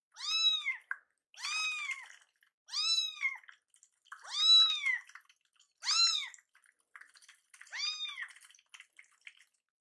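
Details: Two hungry rescued kittens, Kii-chan and Chakkun, meow angrily at a delayed feeding while warm milk cools; six loud arched meows, each about half a second, sounded roughly every one and a half seconds, with faint clicks between.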